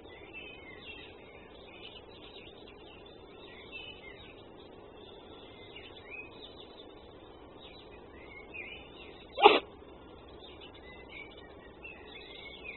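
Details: Red fox caught on a wildlife camera giving one sharp, explosive sneeze. The sudden burst stands out against a soft steady background with faint high chirping.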